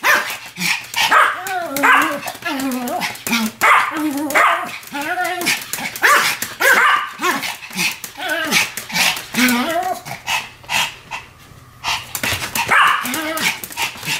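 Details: Sam and Marine, two Pomeranians, barking as a pair; high yappy barks and whining arcs pile up steadily, with a short lull near the end before more barks.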